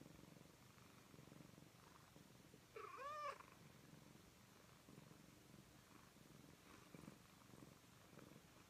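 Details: Graveskull, a Persian cat, purrs as she kneads her human's back; continuous low purr broken by a brief higher rising-falling mew or squeak around the third second.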